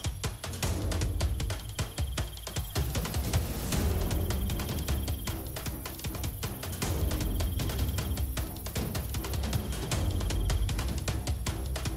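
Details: Loud music with driving drums and bass plays throughout, with no animal sound.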